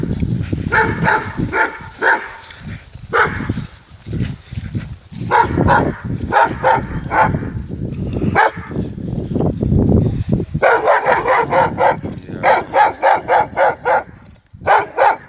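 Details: Dogo Argentino barking in loud, harsh bursts, first in scattered single and double barks, then in rapid, irregular volleys of short barks toward the end, with low rumbling background noise between them.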